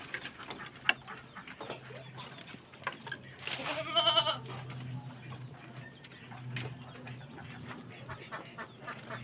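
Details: A goat in a pen at feeding, where a male keeps trying to butt, gives a single loud wavering bleat near the middle; low steady hum and rustling of fodder fill the rest.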